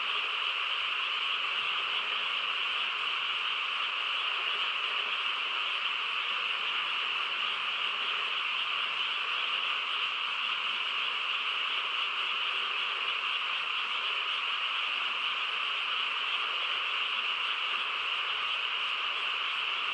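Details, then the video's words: Quiet rural night filled by a frog chorus, countless overlapping trills forming a level, continuous high hum that neither rises nor fades, with no other notable sounds. "고요한 시골 밤에 개구리 합창 소리"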